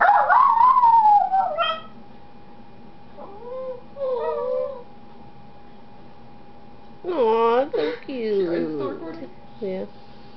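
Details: Kita the dog howls in response to siren-like clarinet notes, first a long falling wail, then short quavering howls, and finally a burst of rising and falling yodelling howls with yips, a faint steady tone underneath.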